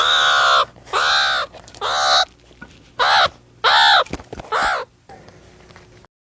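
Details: Meerkat calls: six loud, harsh, harmonic-rich calls, each about half a second long with an arched, slightly rising-then-falling tone, given at a steady spacing, followed by a short quiet tail.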